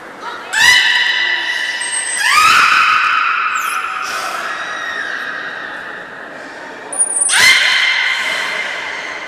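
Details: Belugas Nana and Mirai in training at Port of Nagoya Public Aquarium, Japan, on 6 May 2017: three loud bursts of harmonic squeals, each sliding downward and fading, with a thin, steady high whistle tone between them.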